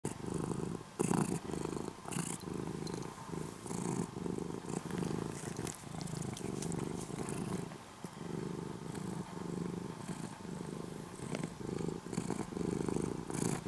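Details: Former stray kitten, an orange-and-white cat now living almost as a house cat, purring in the morning: steady low rumbling pulses in long bouts with short breaths between, plus faint rustling.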